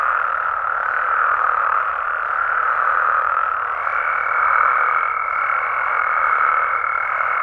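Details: Frogs and toads calling at night in Mexican amphibian habitat: a dense, unbroken chorus forms a steady roaring wash, and a thin, even whistled tone joins midway and holds to the end.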